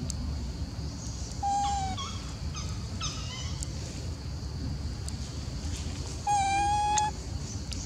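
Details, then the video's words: Golden Girl Elpida, a macaque of the Maha Nokor group, seemingly jealous and upset while old female Susie is fed: two drawn-out, steady tonal coos near 1.5 and 6.5 seconds, with shorter chirping calls between, over a low outdoor rumble. "Darling Elpida Seem To be Jealous When I Fed Old Female Susie, Elpida Has Nice Sound But Like up-set"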